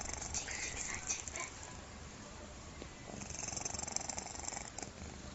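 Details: Soft rasping snore from a cat, compared to a person snoring, heard as a continuous low rattling breath with slightly louder pulses toward the end.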